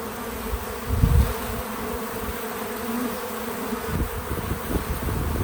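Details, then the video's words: Several bees working a feeder outdoors on a small farm give a continuous low buzz with a constant drone. A louder low-pitched surge comes about one second in, then a steady hum. No voices or music. "Relaxing Bees at the Feeder 🐝 | Natural Buzzing Sounds"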